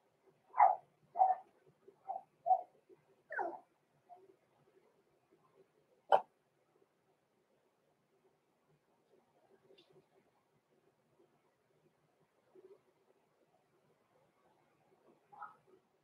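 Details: Six-week-old Cavalier King Charles Spaniel puppies, blenheim, kept in an indoor home pen: a quick burst of five high yips in the first four seconds, one sharp sound, then soft scattered noises and a faint yip.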